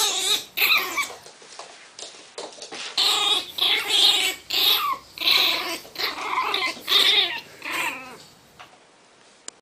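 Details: Miniature Pinscher defending its box with pure rage: shrill, vibrating snarl-whines repeated in quick pulses, high and harmonic, fading to near quiet at the close.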